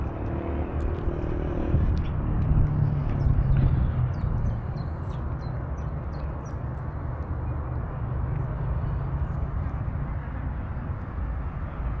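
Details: Outdoor urban rumble of passing vehicles and low traffic noise, with faint distant voices and no clear animal calls.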